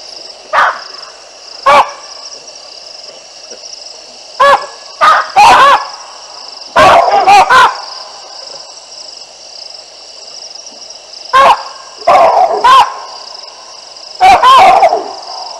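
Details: Baboons in trees along the Olifants River, Africa, on 9 December 2022, calling as two lionesses pass beneath; loud, harsh barks come in single or doubled bursts, about ten in fifteen seconds, over a steady high insect-like hum.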